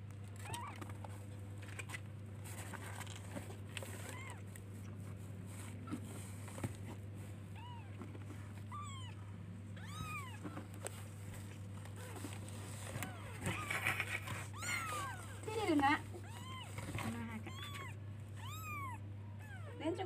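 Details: Baby kittens searching for and calling to their mother, giving many short arched meows at irregular intervals, some overlapping, over a constant low hum and faint background rustling.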